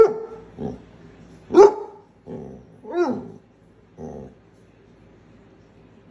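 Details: A pet dog from a humorous compilation of talking dogs mixes short gruff barks with higher, bending yelps and whines. The sounds come in an irregular string over a few seconds, then fall to quiet.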